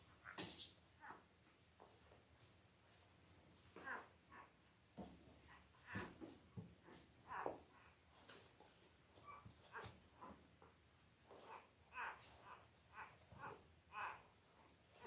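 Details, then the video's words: Five-day-old Labrador Retriever puppies of a litter of eight, five males and three females, born October 15, 2023: many short squeaks and whimpers scattered through the clip amid rustling and shuffling bedding. "5 Day Old Labrador Puppies"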